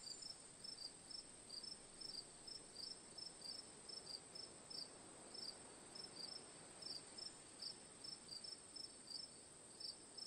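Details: Chirping cricket recorded as sleep ambience: clipped high-pitched chirps, often in pairs, repeating steadily about twice a second against a continuous high buzz and low diffuse background hiss.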